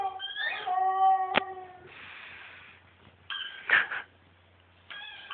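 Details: Siberian Husky howling indoors: a steady, tonal, mid-pitched howl with rich harmonics, a sharp click, a breathy noisy stretch, then shorter wavering howl bursts; a person speaks briefly in Italian.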